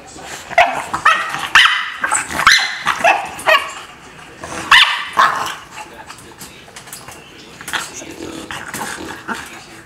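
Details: Heartbroken by barriers between the two, Lola the dog lets out a run of yipping barks and strained whines, about two per second at first, then trailing into softer whimpers.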